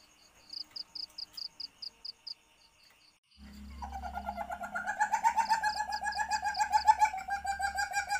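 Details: Asian palm civet in heat, mating call used to lure civets: evenly spaced thin high beeps first, then after a pause a low hum and a building run of quick, harmonic clucking pulses.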